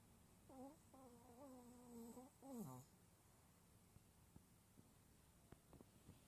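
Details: Choco, a sleeping Smooth Chihuahua, sleep talking indoors and recorded faintly without a microphone: a run of drawn-out, humming moans, ending in a sliding, falling whine. Soft clicks and small rustles follow in the quiet room.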